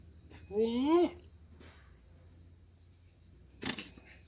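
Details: A goat gives one short, quavering bleat that rises in pitch, then a low steady hum and a brief knock in an otherwise quiet setting.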